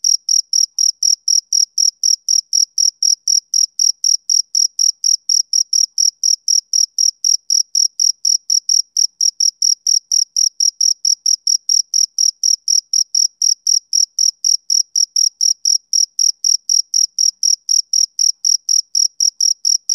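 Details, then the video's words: Male cricket on a summer evening, giving a long unbroken series of sharp, piercing chirps at a brisk, steady pace of roughly four per second; a clean recording with nothing else heard. "Cricket Chirping Sound Effect"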